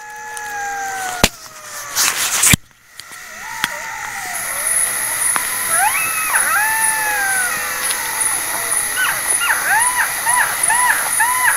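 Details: Several jackals wail together in a wavering chorus on a winter night in an open village field near a small river, voices sliding up and down in drawn-out, yelping, overlapping wails; sharp knocks open it, a thin high whine behind.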